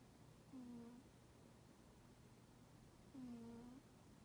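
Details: Sleeping house cat Toraji, known for not warming to people, snores: two short, low, slightly falling whistled puffs about two and a half seconds apart, with a steady low hum and otherwise quiet room.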